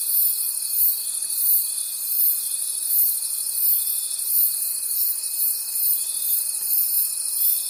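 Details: In a forest after dark, crickets keep up a piercing, high trilling chorus that swells and dips in regular pulses, with a constant faint whine beneath.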